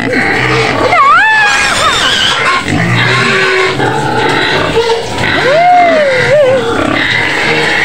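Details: White pig screaming in its pen on the outskirts of Medan, Indonesia, wanting food; loud wavering squeals rising and falling in pitch, mixed with background music and a woman urging it to be patient.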